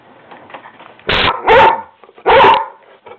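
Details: Skooter, a mouthy pet dog talking back to his owner and refusing to be quiet, lets out three loud, harsh barks in close succession, each lasting about a quarter second, against a quiet indoor background.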